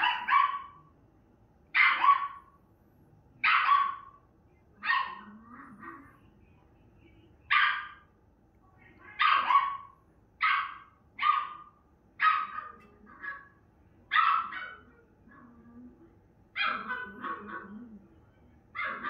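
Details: A female Miniature Schnauzer barks at her own image on a TV screen, giving a long run of short, sharp barks about once or twice a second, some in quick pairs, with soft quieter yips between them.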